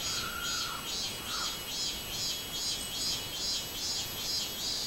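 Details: Robust cicada singing on 24 July 2016: a steady run of loud, high, pulsing buzzes repeated more than twice a second, evenly spaced, over a constant high background hiss, with a brief lower whistle early on.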